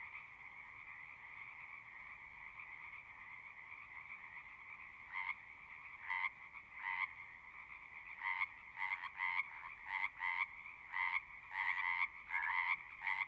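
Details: Singing frogs: a steady background trill chorus, joined after about five seconds by a nearer frog giving loud, short, harsh croaks, at first spaced out, then repeated rapidly, roughly one to two per second.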